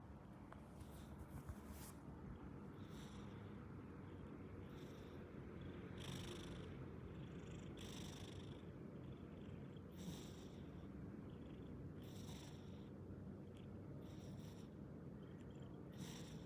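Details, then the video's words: An orange domestic cat snoring loudly while asleep, loud enough to wake the household: a steady low rumbling throughout, with breathy hissing inhalations roughly every two seconds. "被橘貓打呼聲吵醒 超大聲"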